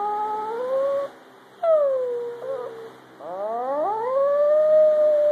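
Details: Ren, a pet Chihuahua, howls along with a person's improvised howling: long sliding tones, some falling and others rising steeply, in overlapping phrases with short gaps between them.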